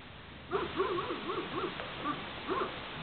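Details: Spanish mastiff, the transhumance breed, on a farm: a run of about seven short, arched barks with rising-then-falling pitch, loosely spaced over two and a half seconds, with a low background hiss.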